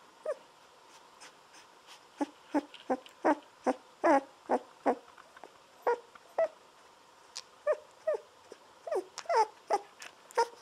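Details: Golden Retriever puppies, 17 days old, lying on their backs indoors while drinking milk from a baby bottle; short squeaky whimpers come in quick bursts of two to three a second, with quiet suckling noises between them.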